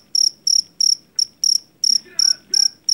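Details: Cricket from the rice fields, the jangkrik Jawa, used as a rat repellent: loud, high pulsed chirps in a steady beat, about three a second, with soft background voices.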